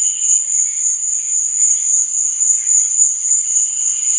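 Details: A continuous, high-pitched cricket trill at night, steady and shimmering, over a faint wash of softer, lower chirps.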